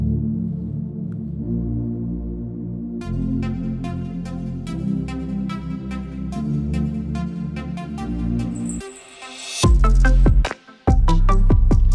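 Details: Electronic ambient music with a steady pulse that breaks into loud bursts near the end, and no animal sounds.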